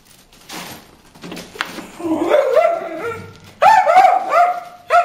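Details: Bruce the dog barking at fish in a water hole; soft scattered yips give way to rising, whining, strained yelping barks that grow louder and run together toward the end.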